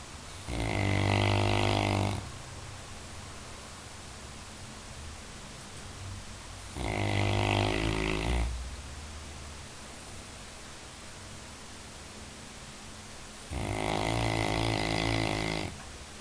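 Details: Sleeping Labrador Retriever snoring in a steady rhythm, three buzzing, harmonic snores each lasting about one and a half seconds, spaced roughly five seconds apart, with soft low background hum between breaths.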